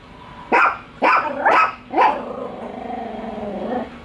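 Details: Two pet dogs, Bico and Faith, barking at a toy dog on first meeting; four sharp barks about half a second apart, then a lower drawn-out growling whine trailing off.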